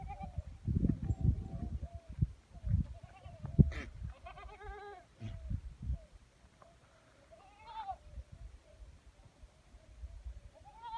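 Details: Sirohi goat on a goat farm in Rajasthan, giving a few nasal, wavering bleats spaced several seconds apart, partly masked by heavy low rumbling and handling noise.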